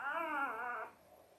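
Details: Five-day-old Labrador Retriever puppy from Belle's litter of eight, born October 15, 2023, indoors: one high, wavering whine lasting under a second, with stacked harmonics that slowly slide down, then quiet room hiss.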